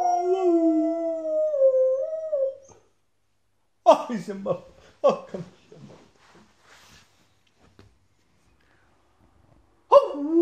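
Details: Border Collie, a male pet, joining in when its owner howls: a steady, wavering howl fading out, followed by broken voice-like murmurs and short yips, then a fresh howl starting at the end.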